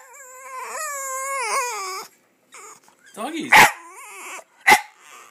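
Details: Boston terrier bitch vocalizing while watching dogs on television, giving a wavering, rising whine for about two seconds, followed by a woman's voice talking to her.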